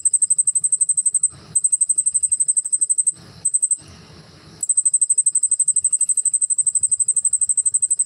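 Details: Cricket with wings moving keeps up a loud, high, rapidly pulsed trill, cut twice by short bursts of handling noise before resuming steadily.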